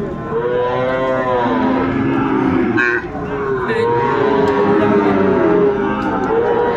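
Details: Bull calves of the Sahiwal breed at a Chattogram market, Bangladesh, 13 December 2024, call with long, loud moos that swell and fall, one after another, over constant crowd noise and a few sharp knocks.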